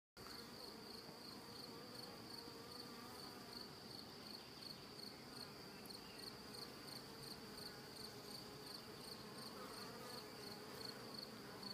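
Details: Honey bees in a transparent hive, a swarm that seemed queenless, building comb from below on the wall and wooden corners. A dense, steady droning hum fills the low-mid range, with a thin high pulsing tone running throughout.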